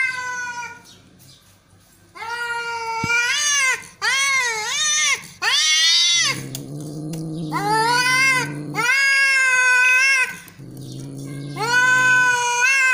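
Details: Cats fighting angrily, trading sustained wavering caterwauls and long low growls; loud harmonic howls rise and bend, overlapping with guttural rumbling through the thirteen seconds.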